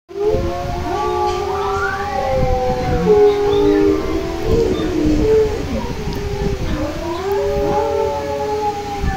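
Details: Bullmastiff howling: long, wavering, siren-like tones that slide up and down and overlap, sustained for the whole stretch, loud and close.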